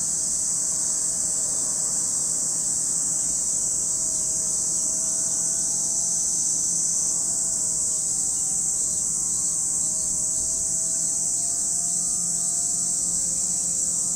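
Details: Continuous high buzzing of cicadas by Lake Kamo, Sado City, Niigata Prefecture, Japan; the dense shrill wall of sound never pauses, while faint wavering low tones drift beneath it.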